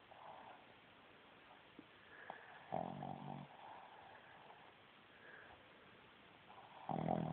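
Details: Female Boston Terrier asleep and snoring loudly through her short snout, two loud rasping snores separated by several seconds of quiet breathing.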